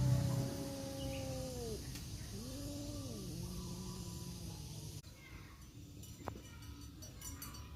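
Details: In a forest standoff, a black tomcat and a tabby tomcat trade fighting cries: two long, moaning wails with wavering pitch, then a lower drawn-out growl, followed by quieter rustling and a sharp knock.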